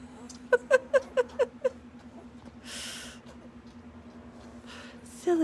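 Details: Puppies from Autumn's litter, eight days old, one described as hungry; six quick squeaky yelps in just over a second, then rustling, a low steady hum, and a final rising whine.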